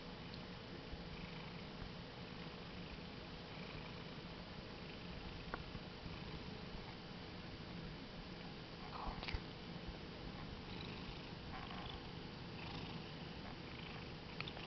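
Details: A happy pet cat relaxing on a bed, purring strongly; a steady low rumble runs throughout, with a few faint clicks and rustles in an indoor room.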